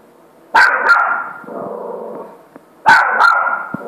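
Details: Big Saint Bernard named Maverick, 85 kg, inviting a puppy to play: two booming barks about two seconds apart, each trailing into a drawn-out, moaning tone, with a softer grumble between them.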